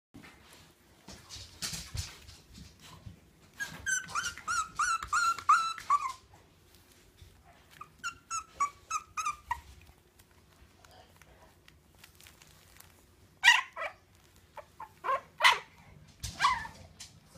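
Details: Bulldog puppy dreaming in its sleep: soft, squeaky whimpers and muffled yips come in short bursts, with quiet stretches between. Faint room background is heard.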